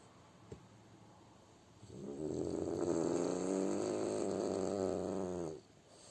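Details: Sleeping French Bulldog gives a single drawn-out snore, a fluttering, vibrating rasp lasting over three seconds after a short quiet stretch with a faint click, then silence again.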